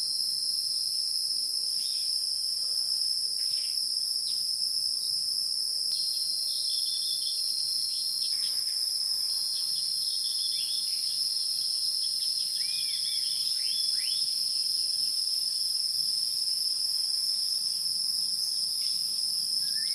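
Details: Insects drone steadily on two high tones, joined midway by quick upswept bird chirps and scattered clicks.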